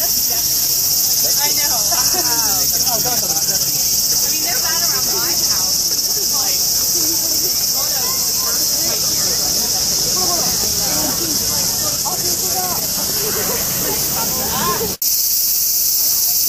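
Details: Loud chorus of large cicadas in Japan, heard around 4 a.m., forming a continuous, dense, high-pitched shrill buzz that never pauses; a person talking underneath and a brief click near the end.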